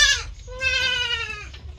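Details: Healthy domestic goat calling: a short bleat, a brief pause, then a long, steady, slightly falling bleat of about a second over soft low background noise.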